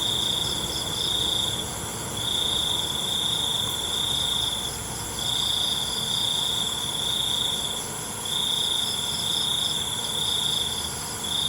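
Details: Night-time crickets producing a bright, shrill trill in bursts of one to two seconds, each followed by a short pause, repeating through the recording above a soft steady hiss.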